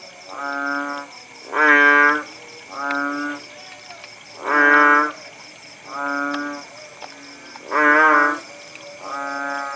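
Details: Kodok bangkong frogs at Paya Bujok Tunong, Langsa, Aceh, recorded once the rain had eased: loud and softer drawn-out, moaning notes alternate in a regular back-and-forth, each about a second long.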